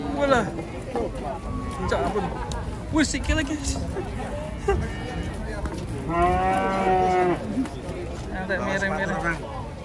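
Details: While being urged to come down gently, an emaciated cow moos twice: a strong, even bellow of over a second, then a shorter, weaker one, amid a person's coaxing voice and clattering.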